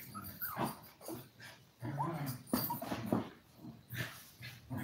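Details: A litter of seven toy poodle puppies, five weeks old, at play indoors. Squeaky high whimpers overlap with low rumbling growls in a steady stream of puppy noise.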